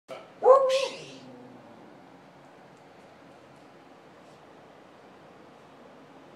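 A beagle gives a single short, harmonic bark with a breathy edge, then falls quiet.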